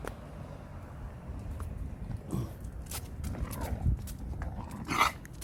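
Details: Khan, a pet dog, sulking after the family returns home from Gageodo island; a few short, low grumbling vocal bursts over a rustling, footstep-filled background, with one sharper, louder sound near the end.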